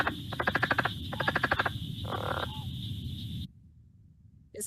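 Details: A southern leopard frog, in Ohio found only in a few southern counties, calls in quick, guttural chuckling trains of rapid clicks lasting under a second over a steady hum, then stops abruptly; finding: Southern leopard frog.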